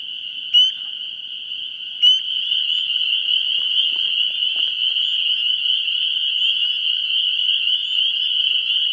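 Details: Frogs at a vernal pool, 17 March 2016, before spring: two loud, clear rising peeps from a nearby frog early on, then only the dense, shrill, continuous chorus of distant callers ringing on without a break.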